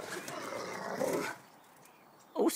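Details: A female Rottweiler grumbles and moans in a rough, drawn-out voice, arguing back while being asked what she is doing up on something, with a person talking nearby.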